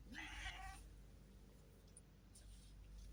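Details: A cat gives a single drawn-out meow, under a second long, harmonic and slightly wavering in pitch. Quiet indoor background follows, with faint soft noises.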